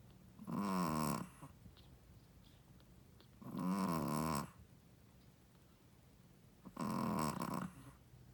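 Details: Sleeping first-time mother Shih Tzu snoring steadily: three long, buzzy, rattling snores about three seconds apart, each close to a second long, with quiet pauses between.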